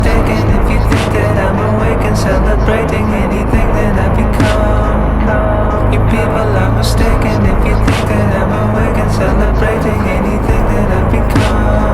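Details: Loud, steady music with a heavy low beat and sharp percussive hits throughout, and no animal voice.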